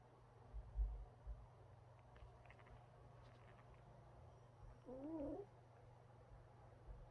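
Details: A Shiba Inu puppy snores with a low, steady rumble, broken by a couple of short nasal snorts, possibly sneezes.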